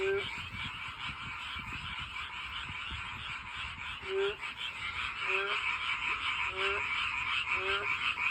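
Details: Frogs singing beside a walking path in search of mates; after some low rustling, rising harmonic croaks begin at about one-second intervals against a constant dense chorus of many frogs.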